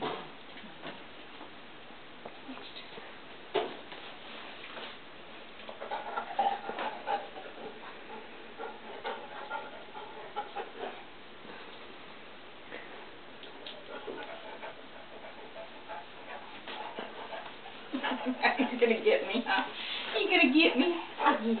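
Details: Ozzy, a one-year-old English Setter puppy, calls out in a home kitchen while waiting for treats: bursts of whiny, wavering vocal sounds, growing louder and more tonal near the end, with a woman talking to him in between.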